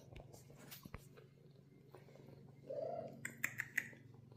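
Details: British Shorthair cats in a cattery, a mother cat with two young golden kittens resting and exploring; one short, soft, low mew midway, followed by quick clicking taps over a steady low indoor hum.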